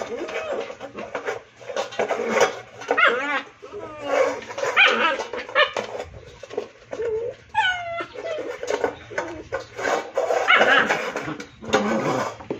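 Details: An angry Rottweiler puppy gives short, high yelps and rough growly barks while playing, frustrated that its plate turned upside down and it cannot straighten it; people talk nearby.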